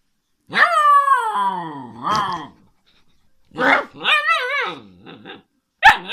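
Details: Alaskan Malamute puppy talking: a long, slowly falling howl, then a wobbly, warbling phrase that bends up and down, ending in one short, sharp yip.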